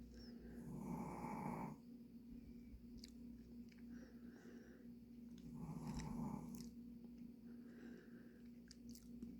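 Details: Dujin, a Pomeranian worn out from hard play, snores in a small room. Two drawn-out, throaty rattling inhalations come about five seconds apart over a steady low hum, with soft ticks between them.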